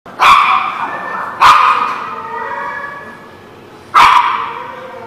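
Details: Dog barking, recorded 9/11/17; three loud, harsh single barks, two close together and a third after a pause of over two seconds, each trailing off in a ringing echo.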